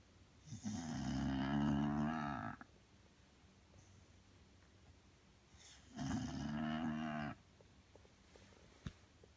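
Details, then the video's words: Belle, a sleeping Bulldog, snores in two long rasping breaths about three seconds apart, each a buzzy, harmonic-rich rumble lasting over a second, with quiet room stillness between them. "Bulldog snoring"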